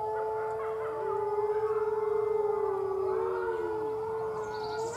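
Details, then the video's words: Six-week-old red wolf pup at the Wolf Conservation Center, howling: a long, steady, mid-pitched tone with rich overtones, a brief dip near the start, then held almost level to the end. Faint background hiss. "Little Howl"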